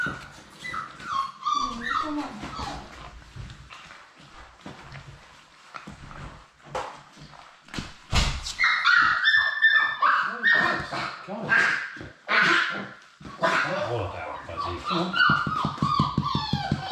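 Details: Labrador Retriever puppies, four born March 11, 2021, in their indoor play room; high whining whimpers and yelps, then a burst of short barks and squeals in the second half, with a person talking in the background.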